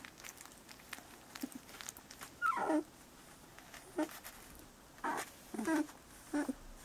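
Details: Bordoodle puppies, 17 days old, giving short high squeaky whimpers, about five brief squeals scattered over seven seconds against a quiet hissing background, with a person speaking softly nearby.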